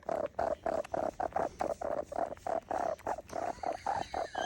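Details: Kitten making a strange noise: a fast, steady series of short squeaky tonal chirps at an even pitch, about four per second, quiet and continuous for several seconds.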